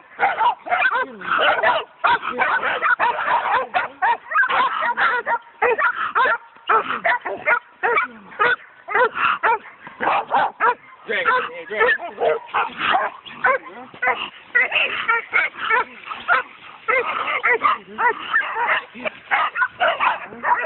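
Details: Coonhounds on a raccoon, recorded on a phone: loud, rapid barking and baying that goes on almost without pause, bursts overlapping as the dogs call together, with some human voices mixed in.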